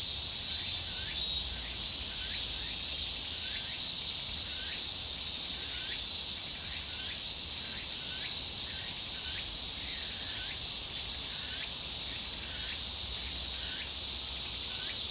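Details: Cicadas recorded locally in Japan, a mix of Graptopsaltria nigrofuscata, Hyalessa maculaticollis and Meimuna opalifera, give a dense, continuous high-pitched buzzing drone overlaid with repeated rising chirps.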